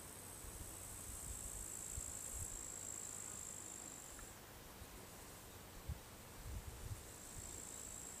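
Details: Crickets near a farmhouse in summer keep up a continuous high-pitched buzzing trill that fades midway and returns near the end, over low wind-like rumble with a few soft thumps.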